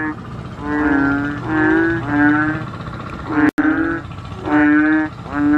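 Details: Chubby Asian painted bullfrogs calling noisily: about six deep, nasal, moaning notes, each roughly half a second, repeated with short gaps over a faint low hum, interrupted by a brief dropout midway.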